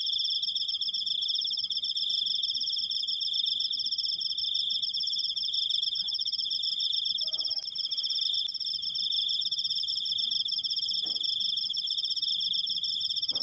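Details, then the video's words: Cricket giving a long, unbroken 'krik' trill: a steady, high, finely pulsed buzz that runs the whole time. Faint low rustling lies underneath, with a brief soft knock near the middle. "suara jangkrik, krikkkkkk panjang"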